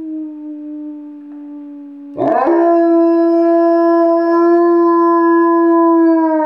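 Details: Yarrow, a pet dog on a couch, howls on command. A faint steady tone gives way to a loud, sustained howl. The howl holds a smooth, even pitch with a bright ringing quality for several seconds.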